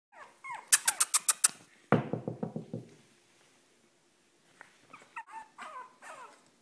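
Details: Extra-tiny Shih Tzu in Marietta, Georgia, indoors: thin, high whines that bend up and down in short bursts, a quick run of rapid scratchy taps in the middle, then soft broken whimpers.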